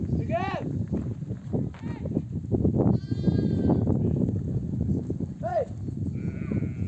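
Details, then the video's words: Mother sheep of a nomadic flock, back from desert grazing, bleating to call their lambs to nurse; wavering, harmonic-rich bleats recur several times over low rumbling flock noise, with human voices nearby. "The sound of mother sheep returning from the pasture to breastfeed her babies"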